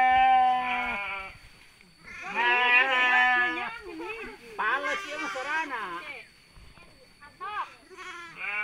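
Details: Sheep bleating during mating in Sirna Rasa village: several drawn-out, quavering bleats, some rising and falling, overlapping with human voices in the middle and near the end.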